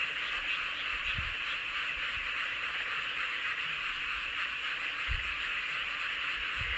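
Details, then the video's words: Full-moon frog chorus from Seowon-myeon in Hoengseong County, Gangwon Province, South Korea; countless frogs produce a steady high-pitched rattling drone, with a few soft low thumps in the background. "보름달 아래 개구리들의 합창"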